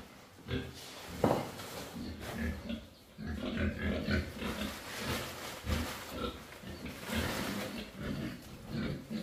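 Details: Pigs on a farm restocking its barn with piglets after African swine fever wiped out the herd; low, rough grunts come in short bursts throughout, with overlapping snorts and a busy barn background.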